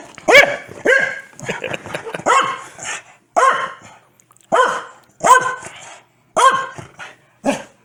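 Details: Pet Corgi Foxy, mad at someone sneezing, lets out a string of loud, high-pitched barks in irregular bursts, some doubled, with short pauses between them in a quiet room.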